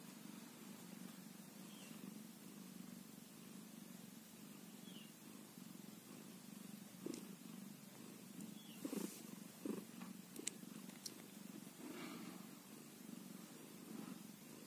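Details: A newborn kitten, one day old, keeps up a continuous low rumbling purr; rustles and crisp clicks grow more frequent in the second half.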